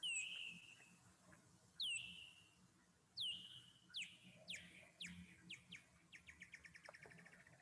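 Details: A bat's ultrasonic echolocation calls from Chile, lowered in frequency to an audible pitch, sweep sharply downward and come faster with shorter gaps toward the end.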